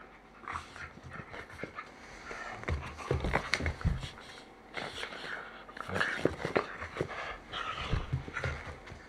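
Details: Whippet named Mame, a pet dog indoors, greeting its beloved mother returning home with its own peculiar show of joy: excited panting, whimpering and squeaky vocal bursts, uneven and continuous, with rustling and movement noise.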